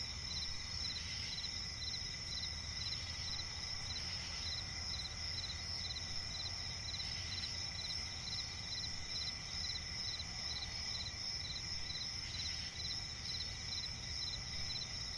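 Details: Crickets chirping at night in a swampy forest: a steady high shrill trill with fast pulsed chirps repeating in short bursts, layered over a continuous insect drone and low rumbling background noise.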